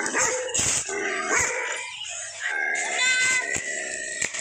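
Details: Bakarwal dog barking at a stranger: harsh, noisy barks with rising and falling tones and a steady hiss, a high tonal whine near the end.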